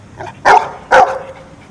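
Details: Pet dog answers a spoken arithmetic question, one plus one, by barking: two short, sharp barks about half a second apart in a quiet room.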